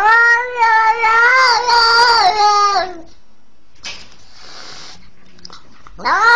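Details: Twenty-day-old kitten attacked by a leashed pitbull, crying loudly: long, strained, wavering meows, then quiet, then another rising wail at the end.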